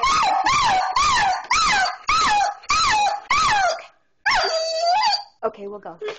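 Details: Border Collie worked up over an upcoming car ride gives a run of seven rhythmic, bending whine-yelps, roughly one per second, then a longer, strained whine and a brief low vocal ending, indoors.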